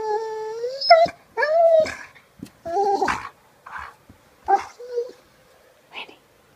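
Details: Pet dog, a female, singing in mild annoyance indoors: long whining howls that rise and bend, broken into several separate phrases, with grumbly, breathy notes between them and a short high yip at the end.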